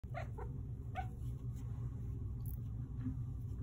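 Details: Chip, a male Manx cat trained to meow on command to the cue "more?", gives a few short, bright meows in quick succession when asked if he wants more pets, over a low indoor hum.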